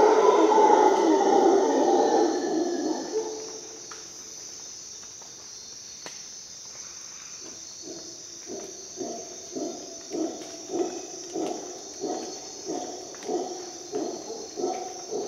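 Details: Dawn in a Costa Rican rainforest with a howler monkey: a deep, rough roar for the first three seconds, a brief lull, then rhythmic guttural grunts about every half second. A constant high-pitched insect hum sits over everything.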